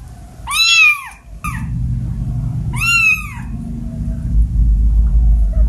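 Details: Two drawn-out, arching meows from a domestic cat, one of seven kept indoors, separated by a clipped chirp and about two seconds of quiet, with low rumbling in the background near the end.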